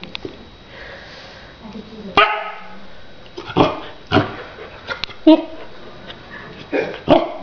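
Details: Three-and-a-half-month-old female Akita puppy barking; sharp, broadband barks burst out irregularly, roughly one every second or so in the second half, with a person's voice and soft household noise between them.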